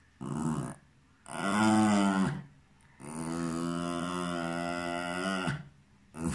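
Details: Cairn Terrier indoors making a series of long, tonal, moaning whines, the longest lasting about two and a half seconds, steady in pitch and loud, separated by brief pauses.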